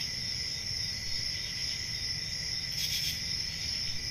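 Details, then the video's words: A summer-night cricket chorus from a quiet rural forest: an unbroken high-pitched ringing hum with a lower trill, one short brighter burst near the end, and soft low-frequency rumble. "10 Hours Relaxing Cricket Sounds For Sleep"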